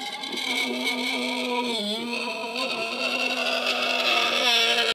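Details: Tamworth sow complaining because a person blocks her way back to her piglets, with her boar added to the paddock; one continuous grating squeal lasting throughout, dipping briefly in pitch midway.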